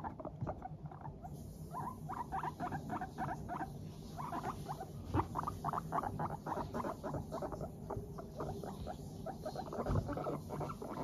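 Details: Teddy and Abyssinian guinea pigs in a good mood walk briskly while keeping up a rapid, soft putt-putt chatter, a stream of short bubbly notes showing contentment.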